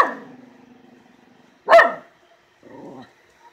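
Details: Miniature Schnauzer barking at something in the yard: one sharp, loud bark in the middle, with a lower rumbling, huffy sound before it and a softer vocal sound after.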